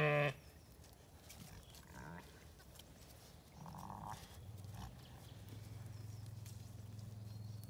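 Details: A Zwartbles ewe in a paddock in County Kilkenny, Ireland, bleats low and drawn-out one morning, calling for the lamb she left asleep, after lambs are turned out, with a person speaking nearby.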